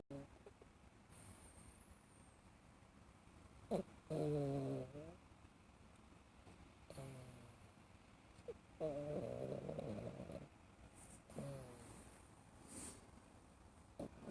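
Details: A cat wearing an Elizabethan collar snores while dreaming: low, rasping snores in bursts of about a second, each with a rising harmonic buzz, separated by quiet breaths, roughly every two to three seconds.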